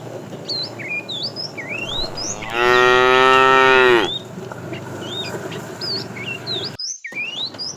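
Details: Morning herding of tame cows to green pasture: one steady, loud moo of about one and a half seconds, slightly falling at the end, surrounded by repeated upswept bird whistles and a low hum.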